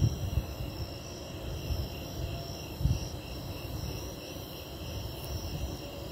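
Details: Snowy tree crickets sing in a steady, high, trilling chorus before an impending lightning storm, over a deep background rumble.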